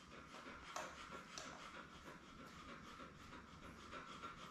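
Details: Indoors on a live puppy cam, Labrador Retriever Belle rests with her seven puppies born May 24, 2021. Fast, even, breathy panting continues throughout over faint background noise.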